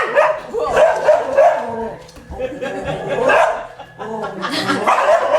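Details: Domestic dog barking indoors at wild boar shown on a television, trying to scare them away; short sharp barks come in bursts over a background of television speech and sound.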